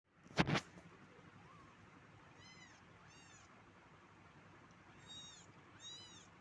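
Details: Domestic cat giving soft, high meows, one short rising call near the middle and two faint harmonic-rich mews toward the end, over a quiet background hiss after a loud thump at the start.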